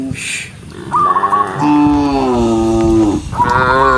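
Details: Cows in a herd running along a green forest road while rain falls; a short high wavering call, then a long low steady moo lasting over a second, and another moo beginning at the end.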